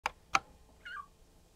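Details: Mii-chan, a one-and-a-half-month-old Maine Coon kitten at a Tokyo cattery. Two sharp clicks come first, then a single short, high, downward-sliding mew.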